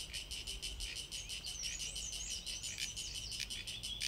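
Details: High, rasping, evenly pulsed drone from a Sulphogaeana cicada, pulses roughly three per second without a break, overlaid by another bird's wavering whistled phrases.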